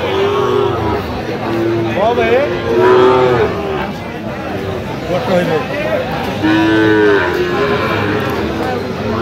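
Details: Sahiwal bull calves for sale at Aftabganj cattle market, 28/9/25, where Dhaka farmers are buying. Several drawn-out, tonal moos overlap and rise and fall, set against steady crowd chatter and bargaining voices.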